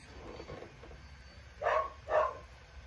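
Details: Seven-week-old puppy named Lucille giving two short, sharp yips close together indoors, faint household noise behind.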